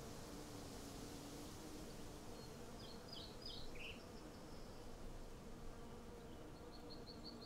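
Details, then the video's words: Hundreds of western honey bees collecting honey from a blossoming cherry tree: a steady, dense low hum fills the whole stretch, while a few brief high bird chirps and twitters break through in the middle and near the end. "Honey Bee Sound Library"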